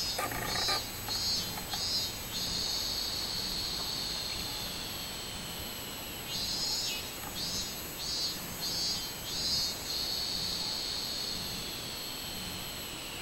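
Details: Robust cicada song recorded 24 July 2016: a run of short pulsed buzzes about one per second, then a long steady high whine, over a continuous insect hum.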